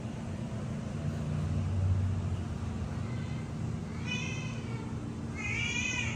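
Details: Kittens, three of them, calling for milk: two high, harmonic mews in the last two seconds, the second louder and wavering, over a steady low rumbling hum.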